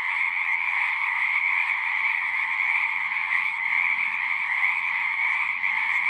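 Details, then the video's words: Singing frogs at a pond within a horse pasture, recorded on a Zoom 6; a steady, dense chorus of high trills with faint low rumbling underneath, continuous from start to finish. "Frogs singing"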